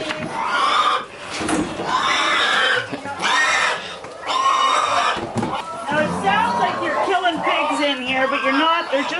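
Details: Hungry young pigs squeal loudly and harshly at the winter morning feeding on a farm, with a person talking over them.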